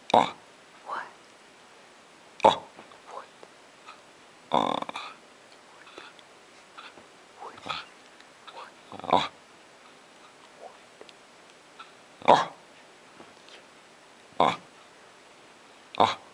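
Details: Icelandic Sheepdog Alisa talking indoors, later jumping onto a lap and licking: short grumbling, groaning vocal bursts repeated irregularly every one to two seconds, a few drawn-out and tonal, with quiet human speech between.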